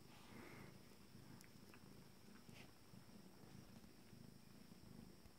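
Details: Steady deep purr from a cat beside its first litter at 26 days, the calm restored; the rumble pulses evenly, with a brief thin squeak near the start and a few light clicks.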